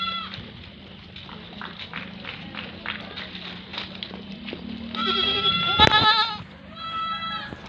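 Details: Goats fighting on a farm, one angry goat bleating: a brief bleat at the start, a stretch of scuffling, then a loud quavering bleat and a shorter closing cry.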